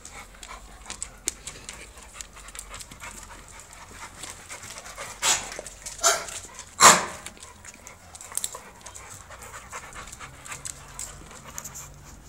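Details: Rapid, airy panting from an American Bully show dog at roughly seventy-six breaths a minute, broken by a few louder, harsher huffs midway, while a man repeatedly calls the dog in Spanish between breaths.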